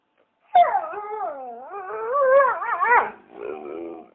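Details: Dog howling in one sustained, tonal cry of about two and a half seconds, sliding down and then back up with a rapid wobble toward the end, trailing into a softer whimper.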